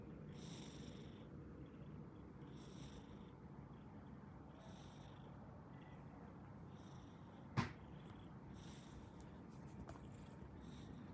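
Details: Loud snoring from an asleep orange domestic cat: a low, even rumble with soft hissing breaths repeating every two seconds or so, and one sharp click midway.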